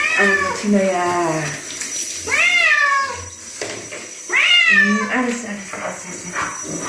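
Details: Bobtail cat protesting during a bath: three long arching meows with strong harmonics, swelling and fading, between quieter low murmurs, with water running in the background.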